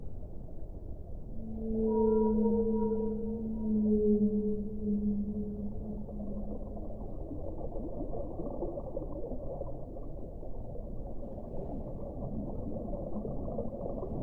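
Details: Whale song: one long, low, harmonic moan that swells and holds steady for about five seconds, then a low underwater wash of rumbling noise for the rest of the clip.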